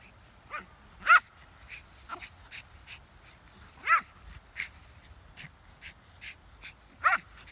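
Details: Schipperke dog playing with a ball gives three short, high, rising yips about three seconds apart, with softer whining squeaks between them over a quiet background.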